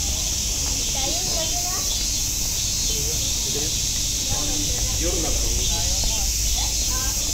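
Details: Cicadas singing at Nogeyama Zoo: a steady, dense, high hissing drone runs unbroken through the whole stretch, while people's voices, including higher children's chatter, talk over it in the foreground.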